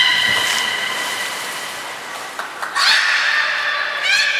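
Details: Captive belugas at Port of Nagoya Public Aquarium during training, 2 August 2019. A steady, layered whistle runs throughout, joined near the end by quick rising squeals and chirpy sweeps, over a constant wash of background noise.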